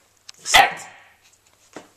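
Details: Old English Sheepdog puppy at mealtime, giving a single loud, harsh bark that fades over half a second, followed by a faint soft knock indoors.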